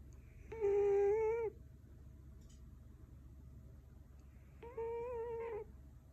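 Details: Loud snoring from Goma, a female Scottish Fold aged four, asleep in a Canadian home: two steady, humming whistle-like tones about a second long, separated by a few seconds of soft breathing and room noise.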